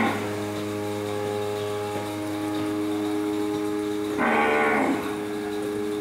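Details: Cows walking toward the milking modules at Hacienda San Pablo, a tropical dairy farm; one short, loud moo near the end, over a constant droning hum of milking machinery.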